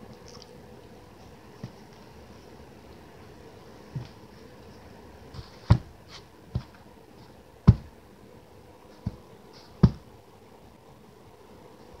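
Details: Quiet indoor room tone broken by scattered soft thuds and sharp taps, louder near the middle, with no animal voice.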